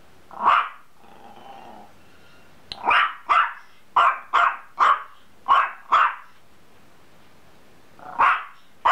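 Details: A dog barks about ten times in sharp, mid-pitched bursts, some barks in quick pairs and others after pauses of a second or more, with a brief low whine or growl between the first barks.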